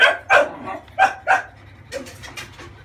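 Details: A 30-day-old female French Bulldog puppy being bathed to clear crusted scalp gunk gives sharp yapping yelps, two close pairs of loud bursts, then softer trailing yips with a low background hum.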